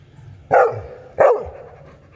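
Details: Two forceful, rough barks from an adult Labrador, spaced roughly 0.7 seconds apart, each sharp at onset and falling away quickly, with faint low rumble beneath.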